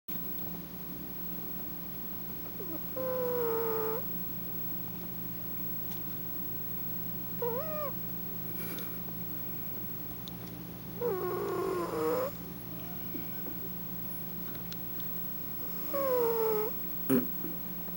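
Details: Fat cat snoring: squeaky, whistled tonal rasps that bend downward, returning roughly every four seconds with each breath, over a steady low hum.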